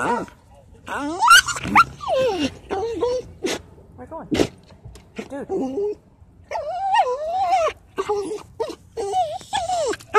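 A Basenji gives wavering, yodel-like yelps and whines that rise and fall in pitch.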